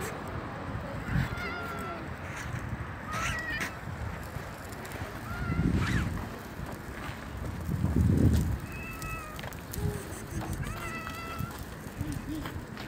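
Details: Black street cat being fed on a bench outdoors, giving a series of short, clear, tonal meows, about five spread over the stretch, each slightly bending in pitch, over a low rumbling background with some handling noise.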